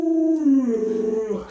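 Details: A pet Alaskan Malamute named Luoluo utters a short, smooth howl that starts higher, dips and then levels off, a clear harmonic tone lasting about one and a half seconds, with no other sounds.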